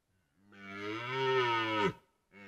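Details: A red deer stag, described as wounded, gives a deep, sustained, harmonic-rich bellowing roar during the 2023 rut in Białowieża Forest, Poland.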